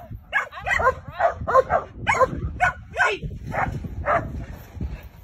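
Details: German Shepherd barking during bite training with a female handler: a rapid series of sharp, harmonic barks, about ten in five seconds, with some uneven spacing and low background rumble.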